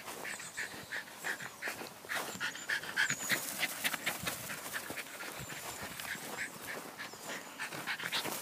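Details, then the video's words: Jack Russell Terrier playing soccer, panting hard and fast throughout, roughly three breaths a second, with a faint whimpering note and scuffling footsteps. "Jack Russell Soccer Terrier"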